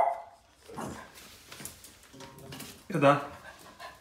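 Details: A Boston terrier, angry at a trash can, gives a few sharp, harsh barks amid people talking indoors.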